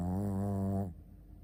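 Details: Sleeping Shih Tzu named Ponta giving one steady, low, droning snore with a rich buzzy tone, lasting under a second before cutting off into quiet.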